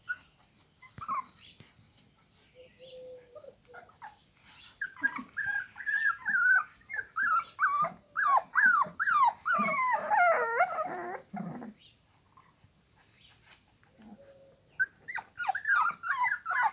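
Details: Amstaff dogs from a kennel near Melfi, Basilicata, Italy, give long runs of rising-and-falling whines, many in quick succession and peaking in the middle, with quieter squeals before and after.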